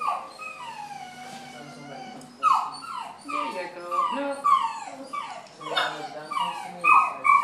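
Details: Great Dane at the vet, whimpering: a series of high, tonal cries that each slide downward, repeating about every half second and growing louder partway through.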